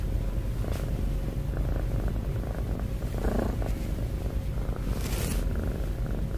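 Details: Snoring cat with heavy breathing, heard as a dense, continuous low-pitched rumble at even loudness throughout, with a brief brighter rustle near the five-second mark.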